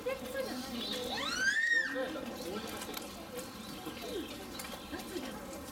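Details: A Chinese wolf at a zoo (Tennoji Zoo, filmed September 2022 to January 2023) gives a brief, rising-then-falling howl over background human voices.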